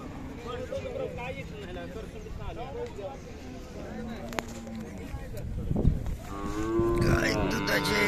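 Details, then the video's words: At the Sangola Khillari cattle market, 5 May 2024, buyers and sellers talk over background noise before a cow lets out a loud, long, rich moo in the final two seconds. "सागोला खिलार गाय बाजार"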